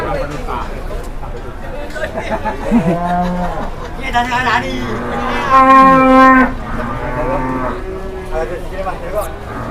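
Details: A market cow in Indonesia, startled on its first visit and agitated, moos twice: a shorter low moo, then a louder, longer one that breaks upward, amid chatter and background noise.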